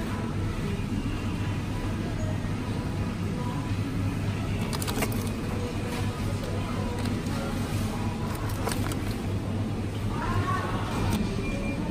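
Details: Steady low road rumble with vehicle noise, faint music and speech, and a few brief higher tones near the end; no animal voices.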